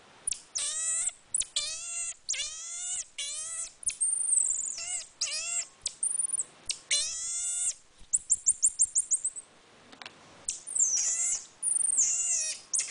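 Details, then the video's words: Captive marmoset monkey producing weird noises: bursts of harmonic descending cries, a rapid trill of about ten high clicks-like chirps, then more cries and high whistles. "the Monkey making weird noises"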